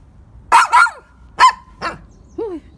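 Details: Poodle barking: four sharp, broadband barks in quick succession over about two seconds, then a softer, descending whine-like yip at the end; quiet background otherwise.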